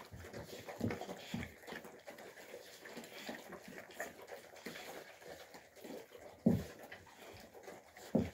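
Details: Alabai puppies, Fawn Alpha versus Tiger, tussling in a small room in winter 2023: scattered short throaty growls and snorts, with two sharper loud bursts near the end over a background of scuffling.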